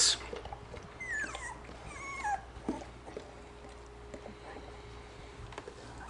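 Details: German Shorthaired Pointer puppies, one and a half weeks old with eyes not yet open: thin, high, wavering whines and squeaks early on, a few short, then quieter rustling and a steady low hum.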